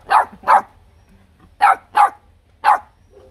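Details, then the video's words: H'Mong bobtail puppy, one of three littermates, barking provocatively to grab attention from the other two. Five crisp, high yaps: a quick pair, a pause of about a second, another pair, then a single bark. The background is quiet. "Chó con mông cộc sủa gạ đòn!"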